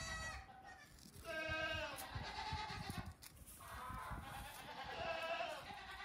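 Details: Goat kids close to two weeks old out for a few minutes of morning play on a farm, hopping about before a rest in the sun. Two longer, tremulous, nasal bleats rise and fade, with low background rumble and scuffling.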